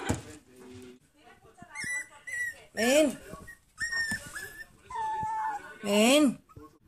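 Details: Two-month-old Toy Poodle puppies tackling their first obstacles give high, thin whimpers and arching yelps while a person calls softly nearby.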